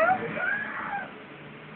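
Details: Kitten meowing: a couple of brief, high, upward-sliding cries in the opening half second, then fading, with music playing in the background.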